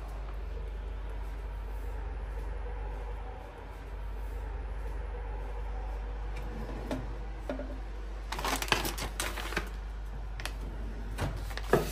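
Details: Steady low indoor hum with scattered clicks, taps and rustling bursts in the latter part, and no animal voice.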